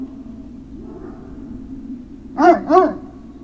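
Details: Great Dane puppy recorded 03-06-2019: after a quiet hum, two quick high yelping barks follow one another closely, each rich in harmonics, then fade back to low background noise.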